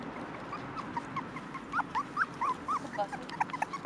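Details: Five-week-old Cairn Terrier puppies, from a litter born 28 June 2015, give high, thin whimpers and squeaks in quick, irregular bursts.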